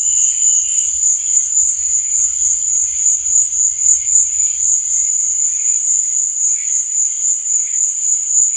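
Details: Steady shrill chirping from crickets at night, an even high trill without pause, over faint lower murmuring tones and soft low rumbles during the first half.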